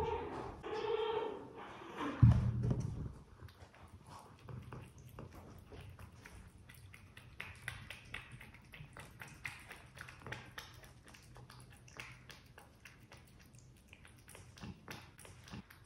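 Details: Luna, a pet cat, gives a brief harmonic trill as she walks into a small room before eating beef and turkey wet food; the trill is followed by soft, rapid chewing and licking clicks.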